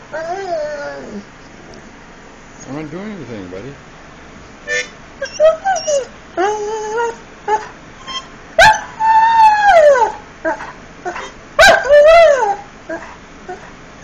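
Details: Frebie, a pet Irish Setter, singing: a series of wavering, tonal howls and whimpering moans that rise and fall, some long and sliding, interspersed with short breaks and a couple of sharp clicks.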